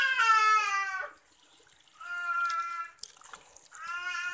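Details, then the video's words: Three long steady meows from a house cat while it is bathed, each about a second long with a pause between, and water running and dripping in the background. "Kucing Suka Mandi"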